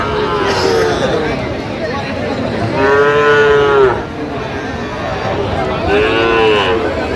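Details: Sahiwal bull calves at a cattle market on 4 October 2025: three drawn-out, fairly high moos with rich harmonics, each about a second long, spaced a few seconds apart over steady crowd murmur and bargaining voices.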